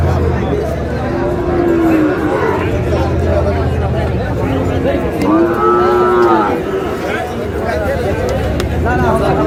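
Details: Sahiwal cattle at a busy livestock market in Chittagong, Bangladesh, on 7 June. Two drawn-out lowing moos with arched, harmonic-rich tones, a short one early and a longer one midway, over steady crowd chatter and bargaining voices.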